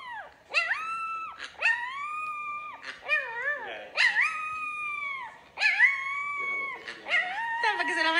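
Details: Siberian Husky in the morning giving a run of drawn-out, whining howls that rise sharply then hold steady, repeated about every second, with a person talking softly in between.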